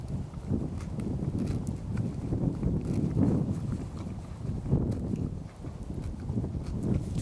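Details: A six-year-old quarter horse gelding in February pushes aside pine needles to eat small shoots of grass, producing low rhythmic crunching and rustling roughly every second, with soft snorting and an outdoor background.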